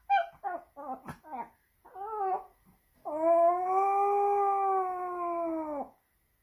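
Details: Pomeranian dog recorded in Saint Petersburg, Russia, in September 2021, crying for attention: several short, wavering whimpers, then one long, sustained howl lasting about three seconds that drops slightly in pitch at its end.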